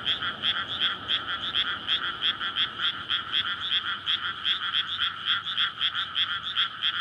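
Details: Night chorus of frogs in a water-filled rice paddy in May before planting, calling to court and breed; rapid overlapping croaks pulsing roughly three times a second, forming a dense steady rattle.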